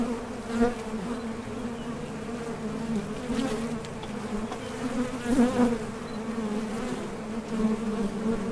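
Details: Steady hum of honey bees coming and going at a top bar hive entrance during nectar foraging, a dense low drone with brief louder swells as individual bees fly past.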